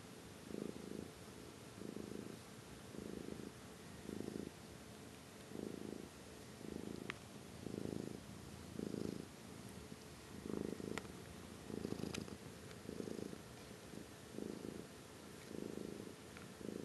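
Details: Amber, a pet kitty, purring continuously: a soft, low, buzzing rumble swelling and fading with each breath, roughly one pulse per second, steady throughout with quiet background hiss and a couple of small clicks.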